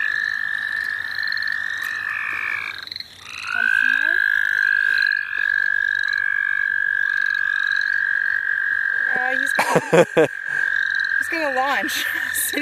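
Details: Frogs trilling at St. Olaf College Natural Lands while being caught: a long, even trill carries on for many seconds over short stepped notes. Human voices break in toward the end.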